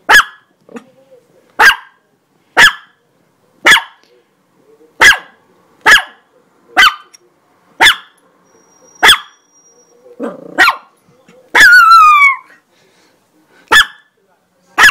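A Chihuahua gives sharp, high-pitched yapping barks, about one per second, with one falling whine.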